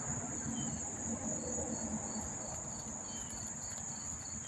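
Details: Crickets near Monmouth Park Racetrack, New Jersey, in September: a high steady trill with a few sparse chirps, partly masked by louder low-frequency background noise.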